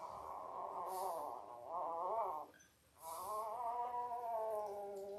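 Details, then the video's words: Labrador Retriever puppy, five days old, one of Belle's litter of eight born October 15, 2023, indoors: a long wavering, nasal crying wail, breaking once after about two seconds, then resuming as a steady drawn-out moan. "5 Day Old Labrador Puppies"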